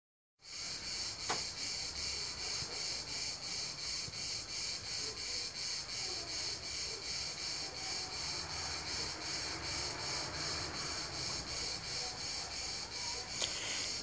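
Cicadas drone in a loud, buzzing chorus that pulses steadily, nearly three beats a second.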